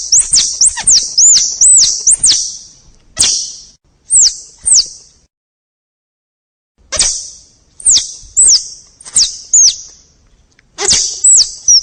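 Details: Squirrel calling in bursts of shrill, high arched chirps, a quick flurry at first, then spaced single squeaks with a silent gap midway.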